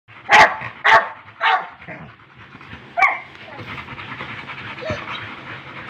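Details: A Rottweiler gives a few loud, breathy huffs in quick succession, like a boat engine, then quieter panting.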